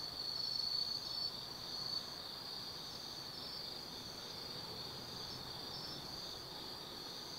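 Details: Night chorus of autumn insects at Tsukimi no Mori lookout in Kaizu, Gifu Prefecture, Japan: an unbroken high-pitched ringing trill with faint pulsing overtones above, a few brief brighter chirps near the start, and a quiet rumble below.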